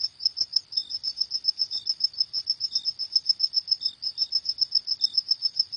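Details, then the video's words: High, pulsing cricket chirps in the night, repeated quickly and evenly with small gaps, plus a few soft lower chirps from another insect. "Suara Jangkrik di Malam Hari"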